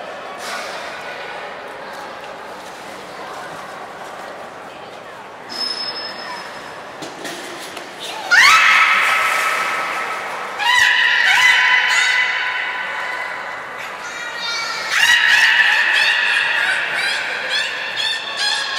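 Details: Beluga Nana at Port of Nagoya Public Aquarium during a 2019 training session; quiet room murmur and a short ping give way to loud, harmonic squeals and pulsed buzzy calls from the midpoint onward.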